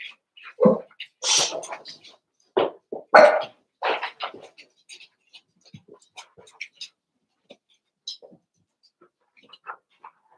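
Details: Eight Cavalier King Charles Spaniel puppies playing together after two litters were merged. A burst of short yips and barks comes early, then scattered faint squeaks and scuffles fade toward the end.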